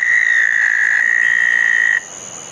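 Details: Southern toad trilling at a pond after a June 2014 thunderstorm at night: a loud, even, high-pitched trill runs for two seconds and then stops abruptly, leaving only faint background chorus.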